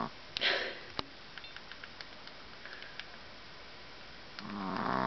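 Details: Daisy, a puppy, asleep indoors in Minnesota in July 2010, worn out after an afternoon of play with her sister Mylie: a quiet background of soft ticks, two breathy snore bursts, one early and one swelling near the end.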